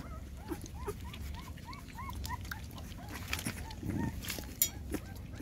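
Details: Puppies nursing on mama dog GiGi, six in the litter, make short rising-then-falling squeaks in quick series, softer than before, with faint low background rumble and occasional clicks.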